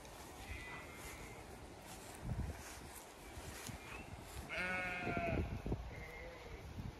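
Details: Zwartbles sheep flock, ewes with lambs, on a County Kilkenny farm in Ireland during hot May weather; faint thin high bleats early, then one fuller quavering bleat near the end amid low outdoor noise.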